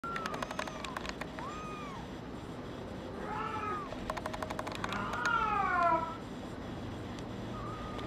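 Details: Brown tabby and white male kitten, born 27 February 2011, giving several short meows with rising and falling tones, then a rapid run of repeated higher mews around the sixth second, amid clicking and tapping noises.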